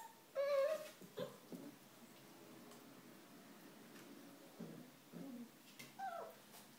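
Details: Five-week-old puppies of Ellie playing in their whelping box indoors while it rains outside; a short, high, wavering whine opens, followed by soft rustling and shuffling, then a second brief whimper sliding downward near the end.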